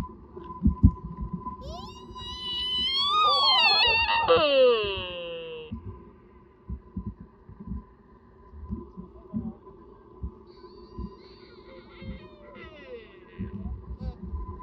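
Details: Sika deer roar during the mating season at Nara Park, Japan. A loud, high, wavering cry climbs, then plunges steeply in pitch. A fainter, distant similar call comes later, over thumps and low rumbling.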